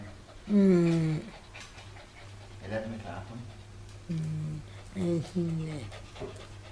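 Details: Pet dog Chai Si in Chonburi, Thailand, recorded 22 May 2012, 'talking' to a person back after almost two years away, seemingly complaining it missed him. Drawn-out falling harmonic moans and whines in five short bursts over steady low hum.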